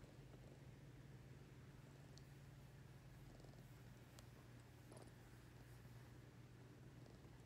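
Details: Ring-tailed lemur getting petted, producing an unbroken low rumbling purr for several seconds, occasional faint taps and rustles in the background.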